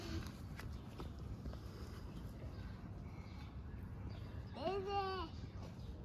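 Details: Orphaned hungry stray kittens on the streets of Istanbul asking for food: one drawn-out meow that rises, holds and falls, heard near the end, over low street rumble and soft Turkish speech.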